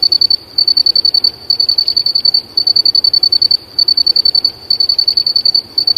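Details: Cricket singing in nature: steady high-pitched pulsed chirping in bursts of about a second, separated by brief gaps, with a faint hiss behind.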